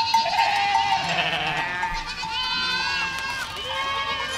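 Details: Herd of goats moving through a village, bleating almost continuously; overlapping nasal, quavering cries at several pitches, some rising then falling, with a faint constant ringing note behind them.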